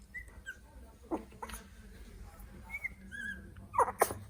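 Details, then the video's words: Three-week-old Italian Greyhound puppies exploring their surroundings, filmed on an iPhone XS: brief high squeaks and thin whimpers scattered across a few seconds, plus a couple of short snuffling, sneeze-like bursts near the end. "Cute puppies making funny noises Italian Greyhound (3 weeks old)"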